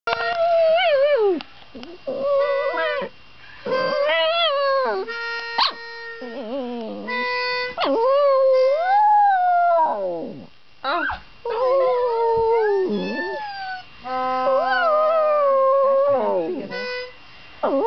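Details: An old poodle howls in long, wavering, rising and falling notes, set off by a child playing steady harmonica tones.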